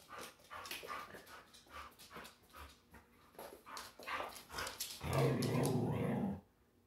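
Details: Border Collie throwing a tantrum to demand playtime: a loud, sustained, grumbling vocal outburst lasting over a second near the end, after a person talks to the dog with brief dog noises in between.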